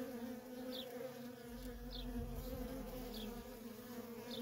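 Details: Worker honey bees streaming constantly in and out of a feral colony, producing an even, continuous buzzing drone; brief thin descending chirps recur about every second and a soft low rumble rises midway.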